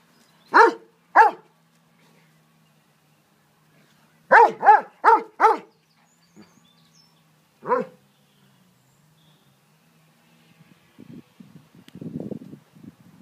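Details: Playful garden barking from three Dobermanns, Dolce, Gabbana and Zeus: two single barks, a rapid cluster of four, then one more after a silence, ending in soft low scuffling and rustling noises.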